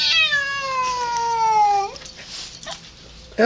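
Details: Indoor house cat that hates an outside cat gives a drawn-out, harmonic yowl lasting about two seconds and sliding steadily downward, then goes quiet before a short rising cry at the very end.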